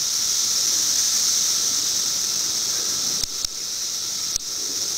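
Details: Periodical cicadas, filmed in 2008 as study footage of their movements, fill the air with a steady, high, hissing whir that never lets up.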